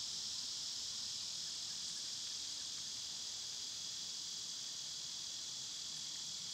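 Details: Cicadas in summer, heard as a steady, even, high-pitched buzzing wash with no pauses and no other clear sounds.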